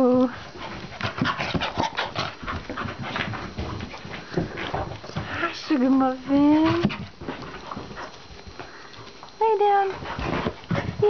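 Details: Pet dogs playing indoors; several rising, tonal whines and yelps, some drawn out with harmonics, mixed with panting, scuffling and a person talking excitedly over them.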